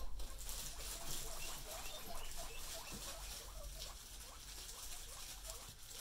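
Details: Domestic guinea pigs reacting while being teased: a fast, uneven stream of brief chirping squeaks over rustling bedding and a low background rumble.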